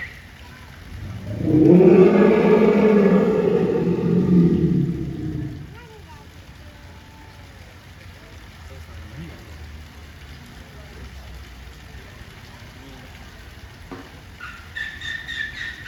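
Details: Asian elephant at a zoo giving a loud, engine-like roar that builds over about four seconds with a rich stack of low droning harmonics, then fades to quiet background; brief high bird chirps follow near the end.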